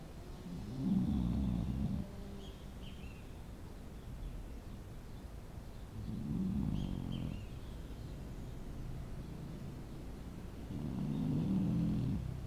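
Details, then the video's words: Dog snoring: three slow, low rasping snores, each lasting about a second and a half, spaced roughly five seconds apart, with faint high chirps in the quiet background. "Cachorro roncando"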